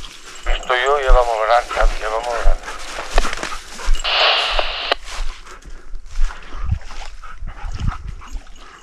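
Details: Dogs baying a large wild boar they have stopped during a hunt in Ribagorza, Huesca: wavering, quavering yelps for two and a half seconds, then a burst of hissing noise, scattered thuds and a few distant barks with human voices.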